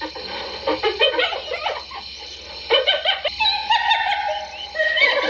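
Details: Laughing hyena: choppy, stuttering giggles open the recording, followed after a brief lull by a longer, steadier wavering note and a few higher, drawn-out cries near the end.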